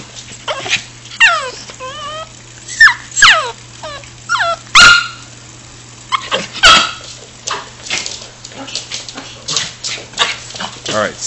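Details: Chewie the dog, told to sit while excited about going for a walk, makes quick high whines that slide downward, mixed with sharp yips and short barks, in rapid uneven bursts with clicks and movement around him.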